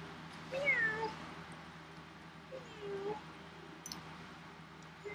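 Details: Domestic cat meowing softly: a first drawn-out meow rising then sliding down, a shorter flatter meow about two seconds later, and the start of a third at the end, over a low steady indoor hum.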